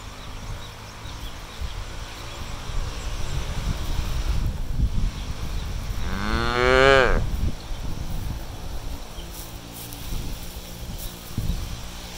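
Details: Cattle foraging freely on a harvested rice field: one rising, harmonic moo around six to seven seconds over steady low wind-like rumble and chewing or rustling noise.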